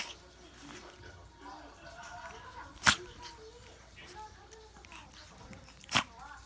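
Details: Lulu, a pet Chihuahua, sneezing at the change of seasons; two sharp explosive sneezes about three seconds apart stand out over a quiet indoor background with faint voices.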